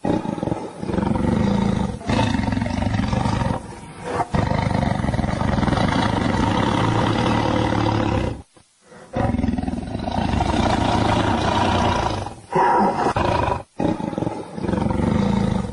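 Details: Family of lions at Luangwa Valley feeding and playing: nearly continuous heavy rumbling growls and snarls, broken by a few short pauses.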